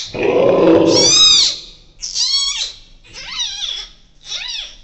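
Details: Newborn giant panda cub, born the evening of 12 July 2024 at Ouwehands Dierenpark, in the birthing den with its mother: a rough burst of noise, then three loud, high, arched squeals, each rising and falling, about one per second.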